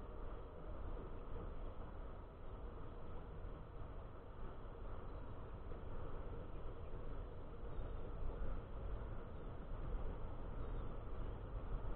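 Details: A steady low rumble like a passing train or traffic, with no animal calls heard.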